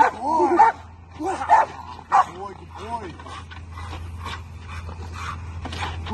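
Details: Bull Terrier working on a training table, letting out several harsh, arching barks in the first half, then quieter, while a handler repeatedly praises it and a low hum runs underneath.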